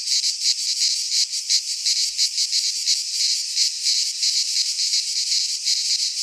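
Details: Midsummer cicada song from Greek pine woods: loud, rasping high buzz throbbing in quick regular pulses, with brief swells and dips in intensity.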